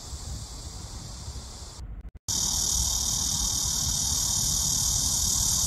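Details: Summer cicada chorus at the start of the hot season, a continuous high-pitched buzzing hiss that drops out briefly just after two seconds, then returns louder and steady, over low background rumble.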